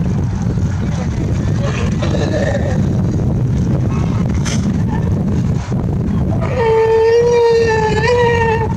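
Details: A California sea lion (Zalophus californianus), among playful sea lions in the clear waters of Monterey Bay, California, gives a drawn-out, nasal, harmonic call over a steady boat-engine rumble.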